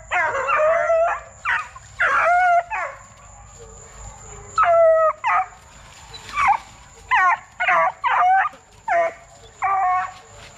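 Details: Young Plott Tan hounds, a Plott hound crossed with a black and tan coonhound, aged 8 weeks to 5 months, kennel-raised for deer tracking. They give bursts of yelping bays and short howls, rich in harmonics, separated by brief quiet gaps.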